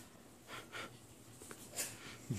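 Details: Pug indoors making a few short, wheezy snorting breaths in quick succession, soft broadband bursts with a quiet room in the background and a person starting to speak at the end.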